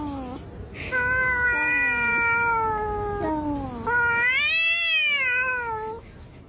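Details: Domestic cat vocalizing after being asked to sing: a string of long, tonal, rich meows, some dipping and rising, others arching up and falling, running almost continuously.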